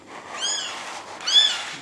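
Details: Two thin, high-pitched mews from a little kitten that has been returned to its mother cat. The second mew is louder, and both sound against quiet indoor background noise.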